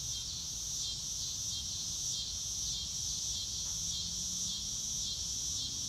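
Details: On a clear blue-sky day, a chorus of crickets in grass keeps up a high, continuous shimmering trill with quick regular pulsing chirps over a faint low hum, with no other clear animal voices.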